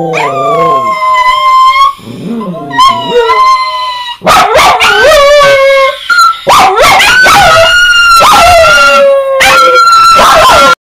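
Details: Chihuahua howling, or singing, in bed indoors: a run of wavering tonal howls that rise, dip and bend, broken by short gaps and a few sharp yips, some notes held for about two seconds.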